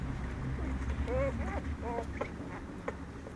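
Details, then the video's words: American Staffordshire Terrier puppies whining: a few short high whimpers, rising then falling, grouped around one to two seconds, over a low steady background rumble. "Amerikai Staffordshire Terrier kiskutyák"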